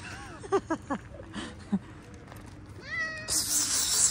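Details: A domestic cat meows in short wavering, tonal cries, first low and bending, then a higher rising meow near the end, with soft human voices between them and a sudden hissing rush of noise closing the recording.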